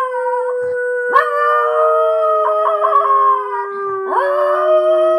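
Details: Luna the Miniature Pinscher howls, extremely excited before a walk: a sustained, steady howl with wobbling overtones, broken by quick upward-sliding yelps near the first and fourth seconds. No other sounds intrude.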